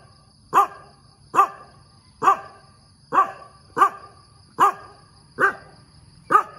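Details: Dog barking in the morning, eight strong, evenly paced barks roughly one per second, each short and clipped, against a quiet background with a faint steady high tone.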